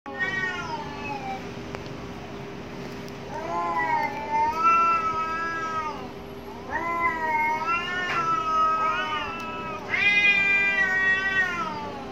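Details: Angry cats fighting behind a home: long wavering harmonic yowls rising and falling, several drawn-out howls overlapping in bursts, with a steady low hum underneath.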